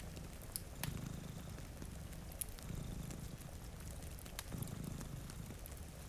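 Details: Low, throaty purring from two cats asleep before a rain-streaked window, rumbling in short swells under sharp crackles from a fireplace and a light hiss of rain.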